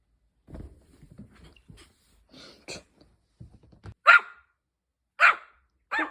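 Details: Mini Bichon Frise puppy, three weeks after adoption, barking indoors: after soft speech and rustling, three sharp, high barks about a second apart, and a woman tells it to stop barking.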